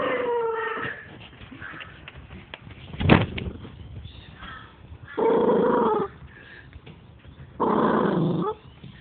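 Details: A small male Maltese cross dog gives moaning, whiny growls in one-second bursts while crunching and guarding his bone when his owner touches him.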